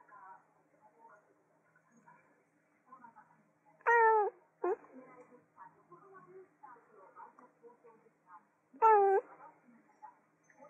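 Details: Cat meowing indoors: two short, loud meows near four and nine seconds, each a bright tone that bends upward, with quiet human talking and small household sounds between them.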